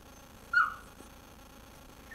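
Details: Indoor dog in a dark room, wanting the bone another dog was chewing, gives a single short high whine that rises slightly and fades, then quiet room hum.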